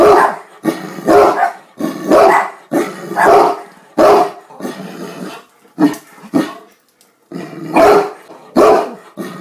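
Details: A Great Dane, said to bark at his owner as if talking to him, gives deep, loud, howling-type barks in rapid bursts, repeated roughly every half second to second.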